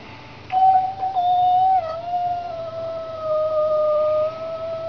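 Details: Indoor cat meeting a street cat: one sustained, nasal yowl starts abruptly, dips slightly in pitch, then holds long and level for nearly four seconds.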